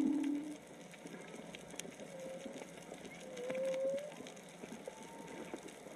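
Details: Whales singing off Onna village, Okinawa, heard while snorkeling, probably three to four animals: a loud low moan opens, followed by thin, faint, rising higher tones against a background of fizzing clicks.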